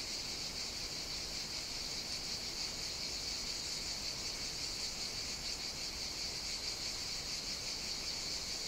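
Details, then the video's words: Cicadas singing on the Greek island of Evia during hot summer weather: a steady, dense high-pitched buzzing chorus that holds unbroken and even in loudness throughout, with no other clear sounds. "Cicadas Sing On the Greek Island of Evia"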